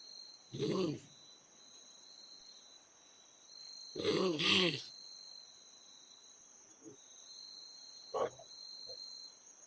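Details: Kangaroo giving short, rough, breathy grunts in separate bursts, two stronger ones early and a brief one near the end, against a steady high insect drone.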